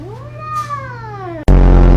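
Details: Domestic cat from a compilation of clingy cats and kittens giving a single drawn-out meow that rises then slowly falls, ending abruptly as loud music cuts in.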